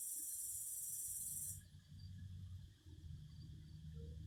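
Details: Cicadas singing: a dense, high, hissing buzz fills the first second and a half, then cuts off abruptly, leaving only a low rumbling background with faint scattered chirps.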